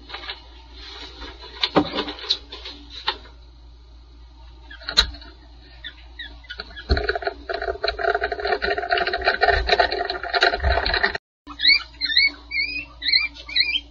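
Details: Two red panda cubs, born July 14, 2020 to a two-year-old mother at Toronto Zoo, give thin, high squeaks in their nest box that end in a run of quick rising whistled chirps.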